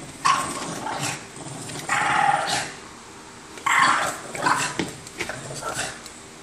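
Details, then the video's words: Two or more Boston Terriers fighting over an orange toy, giving a few rough growling snarls and short yelps separated by quieter pauses. "BOSTON TERRIERS FIGHT OVER ORANGE TOY"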